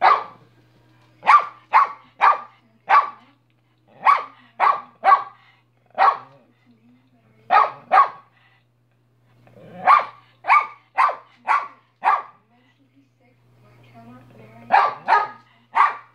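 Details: Minnie, a dog, barking steadily in loud repeated barks, often in rapid runs of three to five, with brief gaps; a low hum persists and faint murmuring appears near the end.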